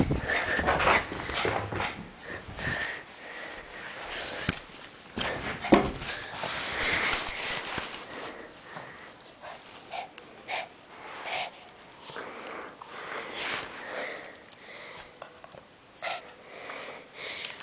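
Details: A male Lhasa Apso, playing while being chased in a dining room, gives short, sharp play barks mixed with snorts and small whines.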